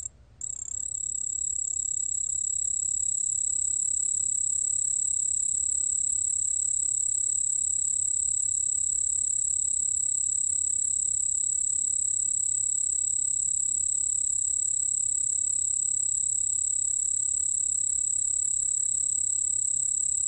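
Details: Song of a white-whiskered bell cricket from the National Institute of Biological Resources, 2020. After a brief silent start, a shrill, pure, continuous high trill sets in and rings on without pause for about twenty seconds over faint low rumble.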